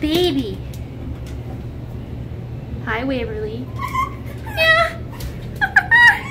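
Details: Rescued fur-farm red fox Winter, a female still learning to trust, makes soft low whimpers, then sharper high, quavering whines in the second half, with quiet room noise between.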